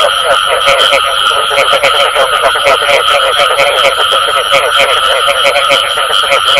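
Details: Frogs croaking, bù tọt type, with irregular pulses overlapping into a constant chorus; a high tonal whine and hiss run underneath.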